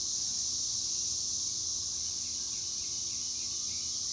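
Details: Cicadas (chicharras) producing a steady, unbroken high-pitched buzzing drone that holds at an even loudness throughout, with no other clear sounds.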